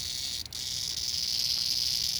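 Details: A single cicada (jarfly), held in hand in Appalachia and typical of mid-July to September, gives a loud, steady, high-pitched buzz that holds without a break.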